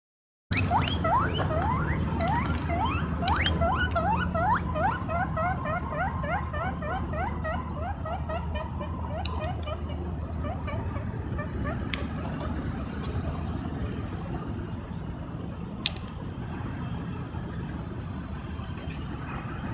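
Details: Pet guinea pig running around on grass, giving a long series of rising whistled squeaks, several per second, strongest in the first ten seconds, then fainter chirps over a steady low rumble.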